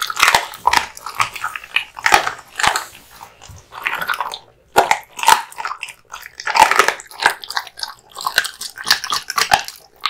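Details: Indoors, a male American Bully, a Pit Bull type born in 2016, gnaws raw meat and bones hung up for him. Crisp bone crunching and slurping bites come in clustered bursts, separated by brief near-silent pauses.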